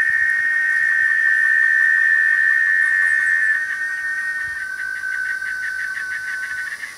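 A cicada sings a loud, steady whistling drone that breaks into rapid, regular pulses.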